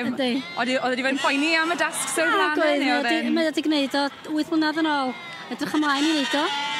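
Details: Welsh Black Mountain sheep bleating in overlapping, wavering calls, several voices at once with a quivering tremolo, some bleats rising and falling, nearly continuous throughout.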